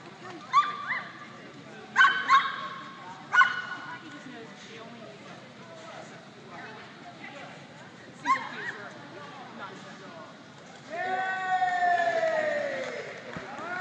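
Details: A Chihuahua running an AKC agility course in the Excellent Jumpers With Weaves class, at a Chattahoochee Weimaraner Club trial on 20 January 2013. It gives sharp, high yips in short bursts, with people talking and a long descending whine near the end.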